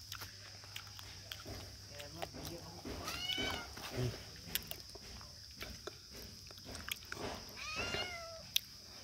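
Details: Kittens kept as pets give two short, thin, high meows about four seconds apart, each bending downward, while people talk quietly and faint rustling and tapping continue in the background.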